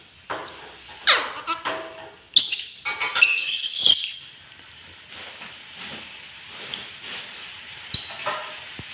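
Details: Angry pet monkey letting out squealing cries that rise and fall, with a long wavering high-pitched screech in the middle and scattered shorter squeaks before and after.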